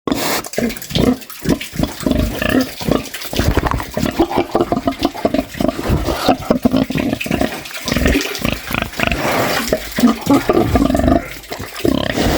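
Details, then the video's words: Snoring pig, a steady run of rough, throaty pulses repeating in quick succession, each a low rasping snort, with short gaps between bursts and a faint wet, watery undertone throughout. "Som de porco ronc ronc - snoring pig sound"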